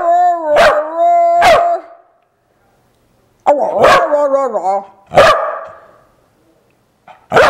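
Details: Corgi barking along to Jingle Bells for a cookie: two clear ringing barks, a longer wavering howl-like bark that slides downward, another sharp bark, then a final short bark after a pause.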